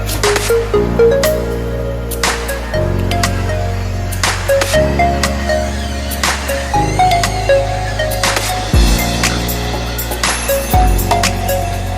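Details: Loud electronic music with a heavy, pulsing bass beat and percussive hits, and no animal call.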